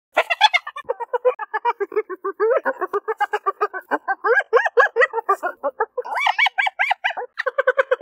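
A chorus of hyenas lets out their giggling laugh: rapid, tonal yelps about five a second, each sliding up and down. Several animals overlap, and the pitch climbs sharply in places before dropping back.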